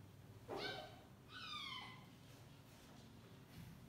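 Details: Sleepy kitten meowing while its sibling keeps biting it to play, indoors: two short high meows, the second a clear falling cry, over a low quiet room hum.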